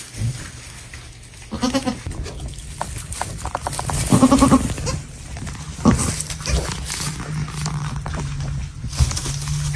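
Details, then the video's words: Baby goats at a farm giving short, wavering bleats, two brief quavering calls a couple of seconds apart, amid shuffling, knocking noises and steady low hum. "The baby goats sweet and funny sounds."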